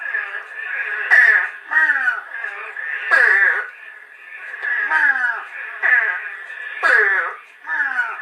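Eastern Spadefoots give hoarse, nasal, downslurred groans, each about a second long, like a young crow.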